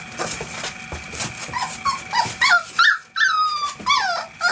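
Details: A litter of eight 25-day-old field-type English Springer Spaniel puppies playing in their whelping box: many overlapping high whimpers and squeals, some sliding downward, with short yelps and scuffling, from several pups at once.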